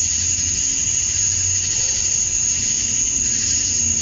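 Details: Steady wall of male cicada song at summer dusk in Georgia, USA, meant to attract females: a level, piercing high whine with hissy texture and a faint, wavering low hum.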